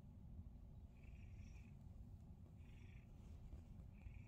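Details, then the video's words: Male house cat receiving a morning massage, purring in a thick, even low-pitched rumble throughout, with a few brief faint high chirps sounding over it. "Cat Purrs During Massage!"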